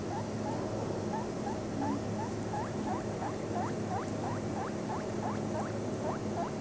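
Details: Seven-day-old baby guinea pig drinking milk from a bottle; a steady run of short rising squeaks, roughly three each second and growing slightly louder, over a constant low hum.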